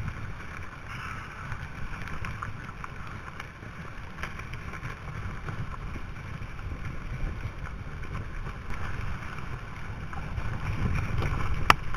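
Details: Steady wind rumble and microphone buffeting with a few faint clicks, and no animal voice.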